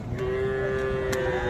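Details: Young bull or heifer calf at the Ambari cattle market: a single steady, level lowing tone held for over a second, with busy market voices and faint clatter behind it.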